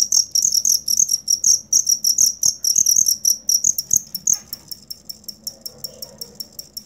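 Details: Cricket chirping for use as songbird tutor sound: bright high trills in quick bursts, easing into slower, separate chirps after about four seconds, with scattered soft clicks and taps in the background.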